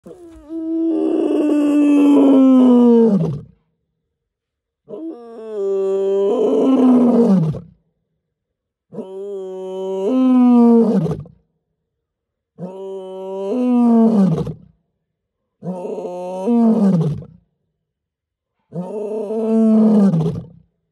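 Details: A male lion at night in Mala Mala Game Reserve, Greater Kruger National Park, South Africa, gives a series of long, moaning roars, each falling in pitch at the end.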